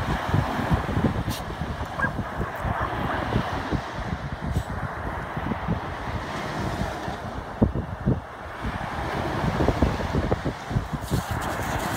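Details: Strong wind buffeting the microphone over rolling surf on a beach, with steady low rumble; no animal call.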